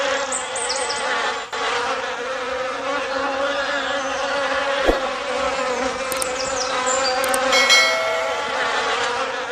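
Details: Honey-making forest bees drone steadily, a rich layered buzz underneath, joined by a few sharp clicks and bursts of high, thin bird chirps toward the end.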